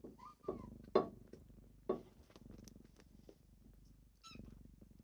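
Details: Kittens on a morning wake-up purr softly in a small room, a low pulsing rumble punctuated by sharp taps and a couple of short high mewing squeaks.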